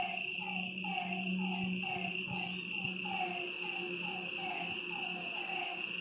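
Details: Frogs croaking by a lake at night, their falling notes spaced about every half second, set against a continuous insect whine and a low steady hum.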